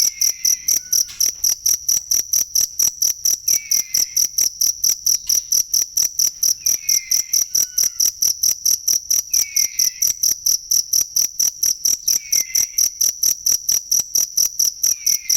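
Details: Cricket sound for training songbirds: continuous high, sharp pulses repeating about four times per second, steady throughout, with soft downward-sliding whistles recurring every few seconds in the background.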